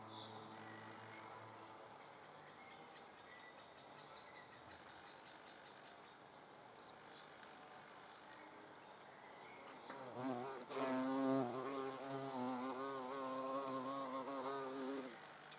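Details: Hornet under observation; after a long quiet stretch, a low, wavering wing buzz starts suddenly and drones steadily for about five seconds.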